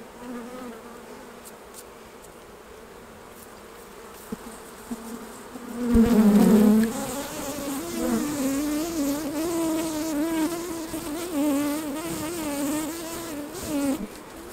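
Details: Honey bees at hives during a honey harvest, as frames are taken off the hives: a low droning buzz that swells suddenly after about six seconds and then holds a steady, wavering hum with overtones.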